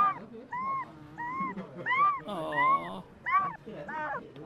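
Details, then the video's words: Puppy dreaming and making cute, weird sounds in its sleep: a run of about seven short, high, squeaky whimpers, each arching up then down in pitch, coming roughly every half second, with a faint low murmur beneath. "Puppy dreaming and making cute/weird sounds"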